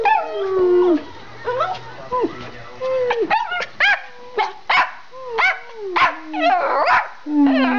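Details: Two Schipperkes in a home, barking and running about; drawn-out whining, yelping barks with bending pitch alternate with short sharp yaps, while a person calls to them.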